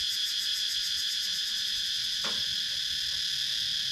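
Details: Cicadas in wooded countryside of Sakon Nakhon, Thailand, recorded with a GoPro Hero 9: a dense, steady high-pitched buzzing drone with layered shimmering bands, plus one brief sharp click midway.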